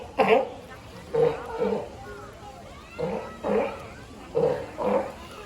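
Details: California sea lion giving hoarse, honking barks in pairs, each a short harmonic burst, with pauses of about a second between pairs; faint background noise.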